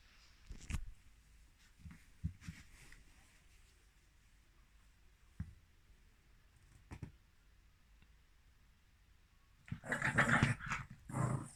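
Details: Female Mal-Shi dog, a Maltese father and Shih Tzu mother cross, born July 2017, recorded 14 November 2020 sneezing: a loud broadband burst near the end, followed by another short burst, after several soft snuffles and quiet thumps.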